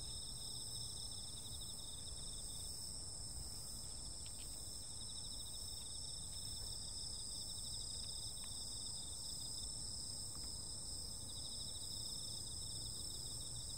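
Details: A continuous high insect chorus on a summer night, with rapid pulsing trills stacked in bands. Scattered soft ticks and clicks break in now and then over a low background hum.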